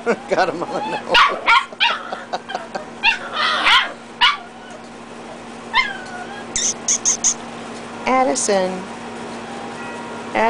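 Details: Dachshund puppies, reds versus black and tans, play-fighting; rough growling and squealing whines mix with sharp yips, some rising and falling, while a person speaks to them and a low hum persists.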